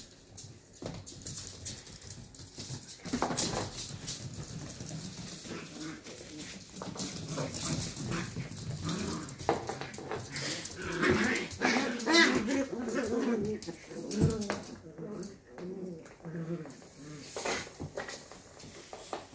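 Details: Two 11-week-old Shetland Sheepdog pups at rough play, with a long stretch of rapid, pulsing growls and whiny grumbles building midway, over constant scuffling and knocking.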